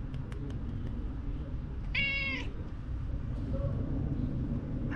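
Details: Calico cat at a ferry terminal giving a small reply when stroked: one short, clear, slightly wavering meow lasting about half a second, set against a constant low rumble.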